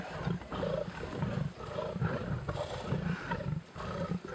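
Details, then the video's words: Lions on a kill at Sabi Sabi Private Game Reserve, heard on a safari game drive: deep, rumbling growls come in short bursts about every half second, with a harsher snarling edge above the low rumble. "lions on a kill and playing"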